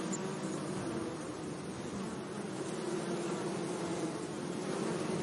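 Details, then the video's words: Gentle buzzing of bees among flowers in a sunny meadow: a low, slightly wavering drone with flickering texture and an even background hiss. "Relaxing Bee Sounds"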